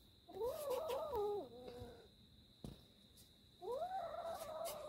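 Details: Kitten refusing to let go of its prey, uttering two long, wavering, tonal yowls that rise and fall, each lasting about a second and a half, separated by a sharp knock, over a faint constant hum.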